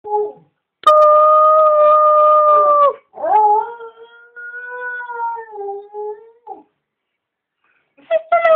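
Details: A female dog howls at the top of the stairs when greeted, long steady tonal howls, one flat then one wavering slightly downward, a short rising start at the end, with a brief clap-like knock early on.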